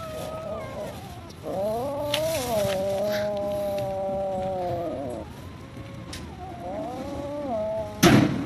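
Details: Hungry cats and kittens living at a pagoda, calling while being fed rice and raw food; long drawn-out wavering meows, then a shorter one, ending with a sharp loud clatter.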